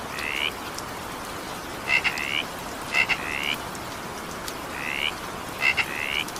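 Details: During an evening downpour, frogs give brief rising, grating notes, usually two together, some led by crisp clicks, spaced a second or more apart against soft continuous rain noise.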